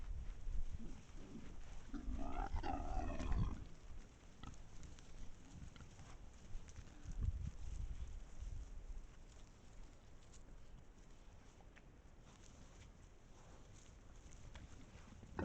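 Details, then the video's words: Pack of wild boars filmed by a trail camera in Estonia, giving rough low grunts with a brief louder, harsher burst of calls near the start, then fading into a quiet rustling background. "Pack of wild boars"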